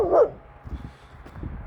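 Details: Kangal Nazo reacting at night to a strange dog nearby: one short sharp bark at the very start, followed by low rustling and faint background noise.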